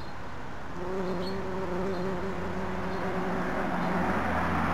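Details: Red-tailed bumblebee (Bombus lapidarius) giving a steady, droning buzz with layered overtones that holds for about four seconds, set against a constant low rumble of road traffic.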